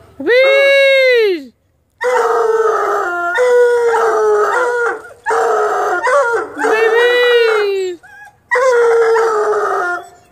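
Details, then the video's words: Bluetick and Black and Tan Coonhound puppies howling together: a rising-then-falling opening howl followed by longer, overlapping, quavering howls, several voices blending, with short gaps between bouts. "Howling Hounds"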